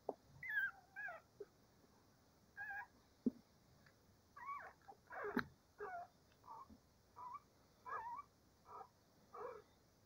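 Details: Cavalier King Charles Spaniel puppies, before breakfast, whine and yip in short, high, wavering bursts.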